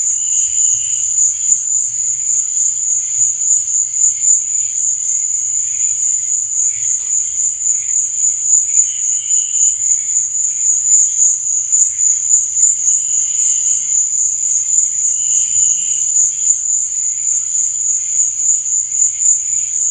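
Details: Crickets chirping at night: a dense, unbroken high-pitched trill holds steady throughout, with softer, lower chirping bursts rising briefly every few seconds beneath it.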